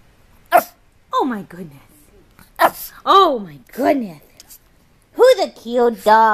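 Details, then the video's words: Dog from a compilation of funny dogs making weird noises, giving a run of short, arched, yappy barks and whiny yelps, about eight in six seconds, with quiet gaps between bursts and a rapid cluster near the end. "Funny Dogs Barking Compilation"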